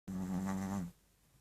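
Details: A dog snoring loudly: one sustained, voiced, droning breath with a steady low buzzing tone lasting under a second, then quiet.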